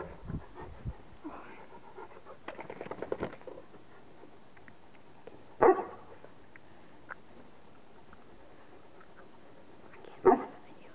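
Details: A Newfoundland dog pants in a short run of quick, rough breaths, with a few sharp, brief knocks later on and quiet between them.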